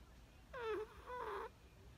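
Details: Sleeping Chihuahua puppy Perchik snoring on 12 October 2020. Two whistling, whiny snore tones with a dip in the first and a brighter, slightly falling second, about half a second each, in a quiet indoor room.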